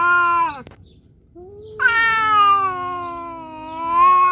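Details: Two calico cats, Xiao Ai and a nursing mother, facing off: a steady moaning yowl cuts off, then after a short silence a louder, higher, sustained wail rises and holds with slight wavering.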